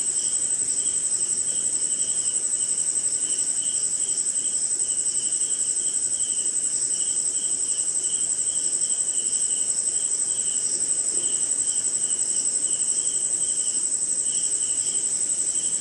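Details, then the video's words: Crickets on a rainy night somewhere in the Indian jungle: a steady, piercing high-pitched trill runs unbroken throughout, with a lower band of rapid pulsing chirps swelling and fading beneath it, over a soft hiss of background noise. "Cricket & Swamp! Forest Sound"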